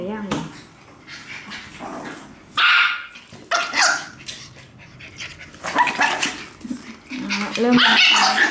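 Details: Dogs, a Shetland Sheepdog and a Chihuahua, in a mixed exchange of short, sharp barking bursts scattered through the recording, with human voices talking throughout and heard between the barks.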